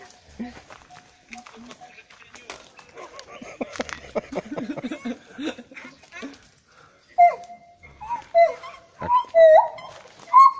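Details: At a monkey temple in Thailand, people chat quietly, then a lone caged gibbon, described as crying or singing, breaks in with loud, clear whooping notes that slide upward or swoop, about once a second with growing force.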